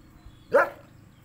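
One loud bark from a Saint Bernard, a short, rough burst that rises sharply and fades quickly. The dog is barking at a stranger, with only faint background noise around it.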